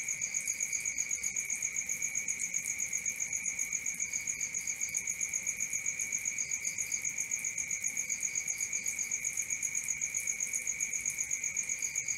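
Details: Crickets at night in a sleep and relaxation nature soundscape: a dense, steady, high chirping drone with rapid pulses about four per second, interrupted by short bursts of three or four brighter, higher chirps.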